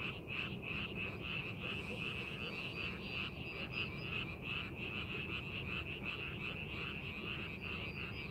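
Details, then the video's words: Chorus of frogs in a rice field during preparation for farming: many overlapping rattling croaks in quick succession, roughly three each second, over a steady low background hum. "농사준비하는 논에서 개구리 울음소리"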